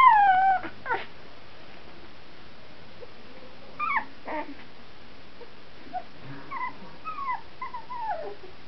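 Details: Two-week-old puppies, including one called Peanut, filmed in 2009: a long falling whine opens, then scattered thin, wavering whimpers that slide downward, quiet and spaced over several seconds.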